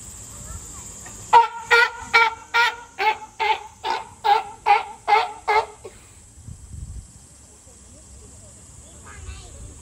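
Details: Captive California sea lion, Higashiyama Zoo and Botanical Gardens, July 2022, giving a rapid run of about ten evenly spaced, hoarse honking barks over four seconds, then falling silent; faint background hiss and low rumble.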